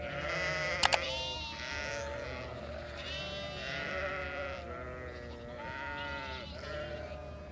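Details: Goat herd including kids, a dense chorus of quavering bleats from several animals overlapping continuously, with a brief sharp click near the start and a low hum beneath.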